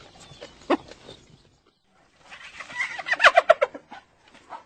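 A hyena's laugh: quick, staccato, high-pitched giggling notes in a choppy burst after a brief first outburst.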